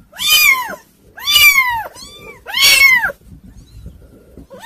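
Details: Several kittens calling loudly, an unruly bunch: long, strained, arching meows, three big calls in quick succession plus a softer one, then a brief quiet stretch with light rustling before another meow starts.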